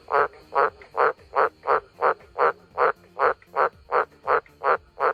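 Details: A frog repeats a short, rasping, pulsed croak at a steady rhythm, close to three times a second, thirteen calls in a row, over a faint constant high hum.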